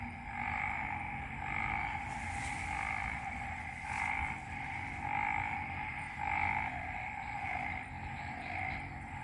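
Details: Loud frog chorus after a night of rain in Ubon Ratchathani, Isaan, Thailand: ringing two-pitched calls pulse in repeated swells about once a second, overlapping into a rhythmic throbbing drone over faint low background noise.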